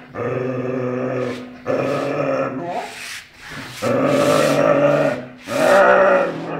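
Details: Dog. A dog gives a series of sustained, throaty growls, each lasting over a second. The rumbling rises and fades between brief breaths, with no other sounds nearby.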